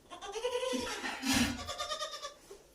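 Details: Domestic goat kept in home goat-rearing in Shirvane, Dapoli, Konkan; a wavering bleat with stacked harmonics rises and falls over about two seconds, with a louder burst midway and faint background noise.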